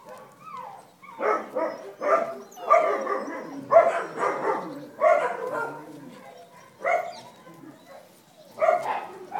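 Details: Dachshund puppies with their mother at Wey Farm, 5 August 2011; a run of high, whiny yelps and squeals in quick uneven bursts, several overlapping, with short quiet gaps between.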